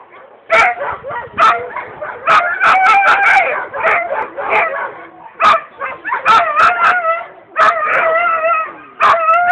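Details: Alaskan Husky during the 2011 Swedish dryland dogbike championship in Nybro: nearly continuous eager yelping and howl-like whines, rich in harmonics, delivered in irregular clusters of sharp onsets with long wavering tones between.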